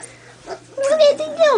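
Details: Collie pup, two weeks old, from Hannibal and Ella's litter, Quinn testing her big girl voice. A sustained whimper holds level and then drops sharply at the end. A human voice chatters alongside.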